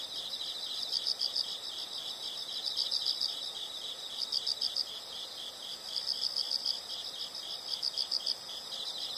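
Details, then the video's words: Insects calling: high-pitched chirps in quick bursts of four or five pulses, each burst about every 1.7 seconds, set over a steady, shrill insect drone. "the sound of insects"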